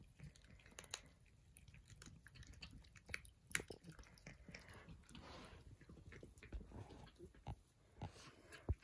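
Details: Persian cats at breakfast making close, uneven chewing and licking sounds, scattered sharp clicks and a brief soft rustle midway.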